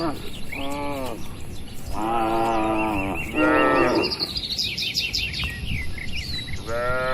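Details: Cattle wandering and feeding among oil palms on an Indonesian plantation give a series of short-to-medium moos, four lows across seven seconds, while birds chirp and trill in the background.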